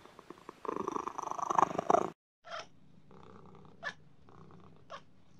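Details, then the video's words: Pet cat purring in a short rough burst lasting about one and a half seconds, followed by quiet with a few soft, brief sniffs or snorts indoors. "Realistic and relaxing cat sounds"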